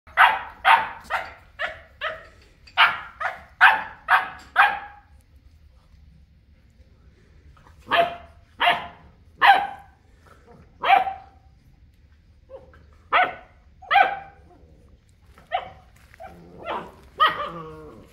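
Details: Boerboel, or South African Mastiff, one of a male and female pair living in Egypt, barking in bursts: a fast run of about eight loud, sharp barks, a pause of several seconds, then spaced single barks.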